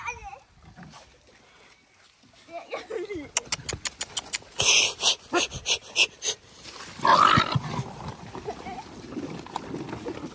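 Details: Poor dogs being fed and fighting over the food: a burst of harsh, rapid barks and snarls packed into a few seconds midway, then a louder yelp, with scuffling and a human voice in the background.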